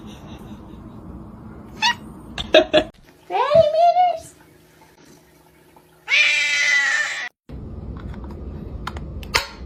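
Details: Domestic cat giving a drawn-out meow indoors, then a louder, rising and falling meow a few seconds later, with human speech and background noise between the calls.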